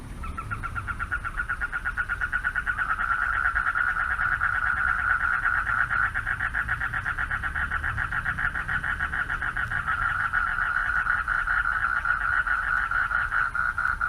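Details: Night chorus of male frogs at a pond, calling to attract mates; many overlapping rapid trilled pulses merge into a continuous droning buzz that swells slightly midway, over low background rumble.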